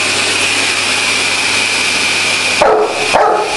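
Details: A Dogue de Bordeaux, in his daily battle with the vacuum cleaner, gives two short, gruff barks about half a second apart near the end over the steady roar of the running machine.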